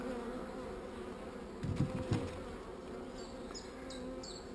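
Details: Steady low droning of honey bees, said to be not so angry, while a beekeeper checks a hive containing one swarm cell; two dull knocks sound midway and a few short high beeps come near the end.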